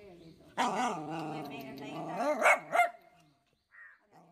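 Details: Pomeranian dog making a long wavering whining vocalisation lasting about two seconds, ending in two sharp yaps, followed by faint sounds.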